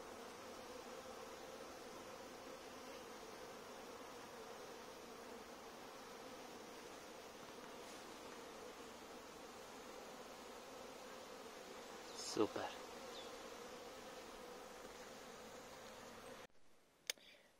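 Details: Honey bees on their first cleansing flight of March, heading out for water and pollen among blooming crocuses near hives set on tree-stump stands; a steady, low droning hum of many bees throughout, with a brief rustling knock near the end.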